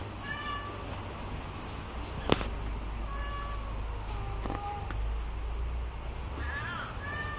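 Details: Bengal kittens, both males aged two months and sired by AK Bama, give several thin, wavering meows spread across the recording over a constant low rumble, with one sharp knock partway through.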